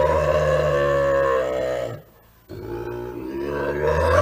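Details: Bobcat. A bobcat growls low and harsh, a rough rumbling tone held for about two seconds. After a short silence it resumes with a second snarling growl, rising in intensity toward the end.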